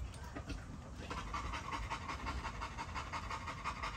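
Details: Rapid rhythmic panting from a Great Dane near a fence, breaths coming several times a second, a man's voice mixed in underneath.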